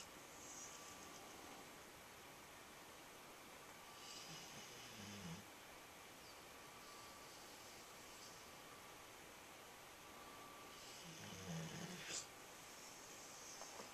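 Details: Nine-month-old dog sound asleep indoors, snoring in two drawn-out, breathy rasps roughly seven seconds apart, each with a low rumbling core and hissy upper edge over a steady faint background hum.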